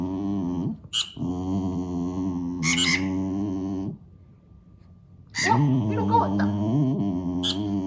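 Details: Pet dog complaining at the squeaking of a mouse game for cats on a tablet, not trying to catch the mice. Long, steady, droning moans with rich harmonics, broken by a pause, with sharp squeaks from the game between them.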